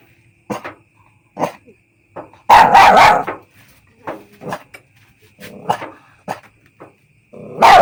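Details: Puppy barking in short high yips and bursts, with a louder run of rapid barks midway and scattered soft whimpers between, against a faint steady hum.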